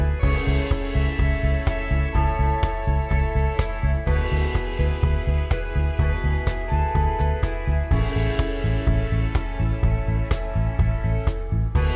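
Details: Steady instrumental music with a regular beat and sustained tones, with no animal sounds.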